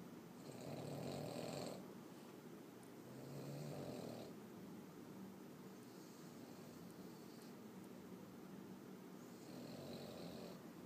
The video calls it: boston terrier snoring loudly.